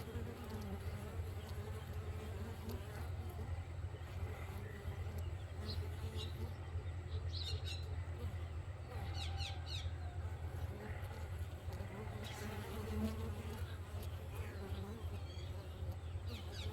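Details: A steady, deep droning hum of bees at a beehive in the morning, with a few faint bird chirps behind it.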